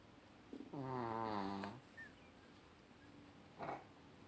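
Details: Chihuahua Rocky snoring in the evening: one drawn-out, buzzy, harmonic snore of about a second, then a quiet room with a faint short rasp near the end.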